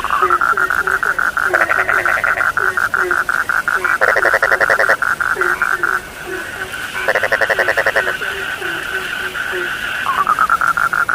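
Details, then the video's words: A dense frog chorus meant for falling asleep, with continuous high pulsing calls, louder buzzy rattling bursts every couple of seconds, and soft low croaks scattered beneath. "The sound of frogs lulls sleep, 30 minutes you fall asleep soundly.( Suara katak Penghantar Tidur )"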